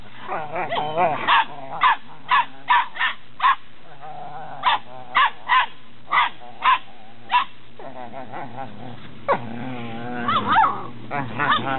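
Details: Eight-week-old Belgian Malinois Shepherd puppies in Williston, Florida, 27 January 2016, born 29 November 2015; a run of short, sharp barks repeated about every half second, then a pause and a burst of whiny, mixed yelps near the end.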